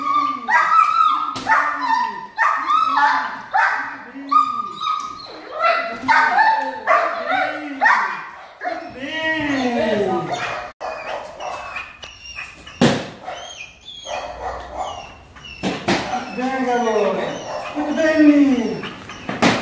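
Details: German Shepherd starting attack and protection training: a run of rhythmic deep barks, then irregular excited barks and yelps among knocks and spoken commands, ending in a fresh volley of barking.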